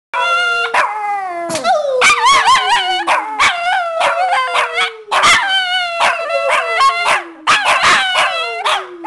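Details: Two pet Shih Tzus singing together: drawn-out wavering howls that slide slowly downward, overlapping with higher yelping notes and short barks, recorded loudly indoors.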